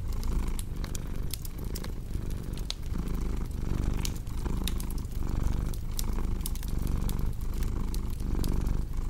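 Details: Purring cat mixed with a crackling fireplace for relaxation: a low, steady rumble swelling and fading with each breath, overlaid by frequent sharp pops and snaps of burning wood.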